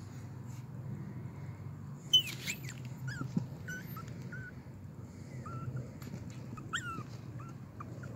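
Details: Ice white male Pomeranian puppy in West Palm Beach, Florida, giving soft, high whimpers: short squeaky notes that bend up and down, scattered through the recording over a steady low background hum, with a few faint clicks.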